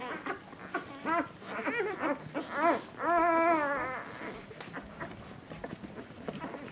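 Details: Litter of puppies at dinnertime, runts competing to nurse from their mother; several short yelps come first, then a long, sustained wavering whine lasting about a second, followed by softer scattered squeaks.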